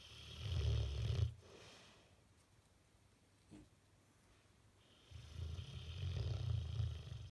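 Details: Sleeping Bullmastiff with a twitching face, snoring in deep, rough rumbles: a long snore around the first second, a quiet pause with a small snort near the middle, then another drawn-out rasping snore toward the end.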